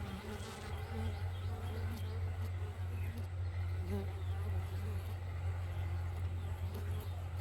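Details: Bees in the morning, a steady low droning hum held throughout without a break, with faint scattered higher sounds above it.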